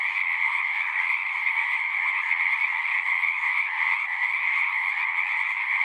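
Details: A pond in a horse pasture full of singing frogs, captured with a Zoom recorder: an unbroken, buzzing wall of trills holding steady in pitch, countless voices blended together.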